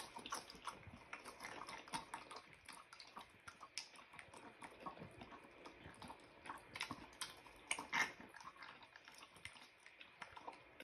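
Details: Mini pig named Pig, a frantic eater, diving into his food and making his own slop; wet, smacking chewing and slurping clicks repeat rapidly and irregularly throughout, with occasional louder splashy bites.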